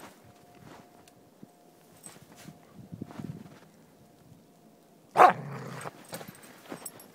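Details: Soft Coated Wheaten Terrier at play with a stick in snow; quiet shuffling and crunching steps for five seconds, then one loud bark followed by softer scuffling.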